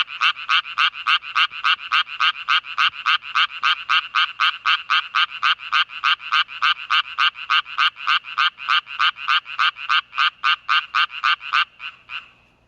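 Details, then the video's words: A Japanese tree frog calling after rain on a farm: an even series of harsh, rasping croaks, about three or four per second, held steady for twelve seconds before stopping abruptly. "청개구리 울음소리"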